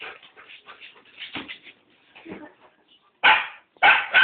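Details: Rottweilers making soft, muffled whines and grumbling yips for three seconds, then two loud, abrupt barks close together.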